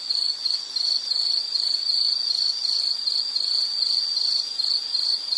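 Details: Insect calling in a relaxing nature-sound recording, a shrill high trill broken into rapid even pulses, unbroken over the whole stretch, nothing else audible.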